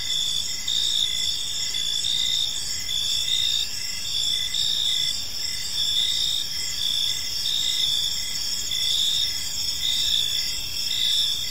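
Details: Evening park chorus of crickets: continuous high-pitched pulsed chirping from many insects in overlapping bands, an even wash of sound over soft low ambient rumble.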